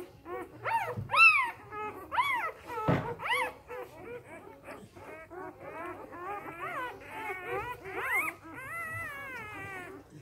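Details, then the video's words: Newborn Samoyed puppies, three days old, crying in a litter: loud squealing whines that rise and fall in quick arcs, then a denser run of softer, wavering whimpers, one brief thump midway. "Samojedenwelpen 3 Tage alt"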